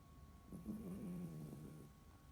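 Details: Sleeping Toy Poodle, one of a pet pair, male Dingding, brown, brought from China, and female Candy, silver, brought from Korea; a single drawn-out, low, rasping snore over a faint steady hum in a quiet room.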